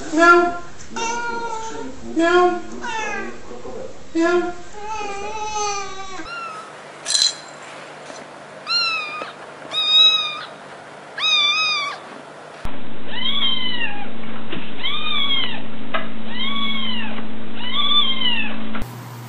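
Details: Cats and kittens (Felis catus) meow repeatedly in rising-falling cries ranging from plaintive to insistent; some meow loudly, and kittens meow for their mother.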